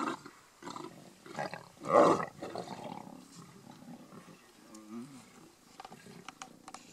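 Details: Lions of a mega pride in Kruger National Park squabbling at a buffalo feast: rough growls building to one loud, harsh snarling roar near two seconds, followed by lower grumbling and faint background sounds.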